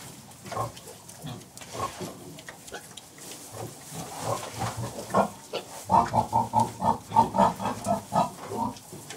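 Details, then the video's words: Contented sows and piglets in farrowing pens: low grunts early, then a rapid run of rhythmic grunts about every half second near the end, with faint rustling of straw. "Sounds of Pigs Farrowing Pens"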